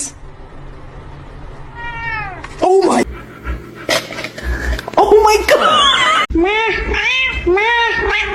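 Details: A pet cat meows indoors. Two short descending meows come first, then a person speaks. Near the end the cat gives a quick run of arched, repeated meows, about three in two seconds, louder than the background.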